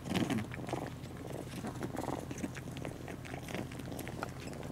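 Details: Male cat Maroshiro, who nurses and raises foster kittens indoors, gives a brief low, wavering meow-like call at the very start, followed by soft rustling and quiet purring-like sounds in a small room.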